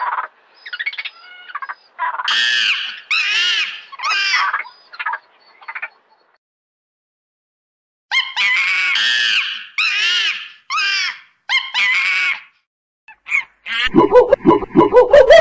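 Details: Monkey chattering: clustered harsh squeals and screeches in two bouts separated by a short silence, closing with lower, noisier sounds.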